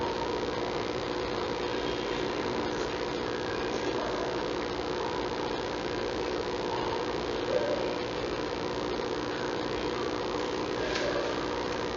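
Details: Steady mechanical hum like an idling engine or fan fills the recording, with no animal voice standing out.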